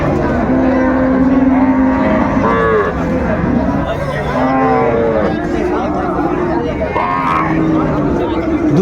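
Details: At Ambari market in Dinajpur on 24 May, among cows with their calves, repeated short wavering lows and bleating-like calls rise and fall over steady murmuring of people.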